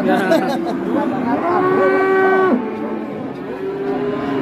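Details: Huge 'monster' cow from Indonesian livestock farming draws a crowd of onlookers one morning before being hauled away, letting out a single sustained low moo of about a second, with background music and crowd chatter throughout.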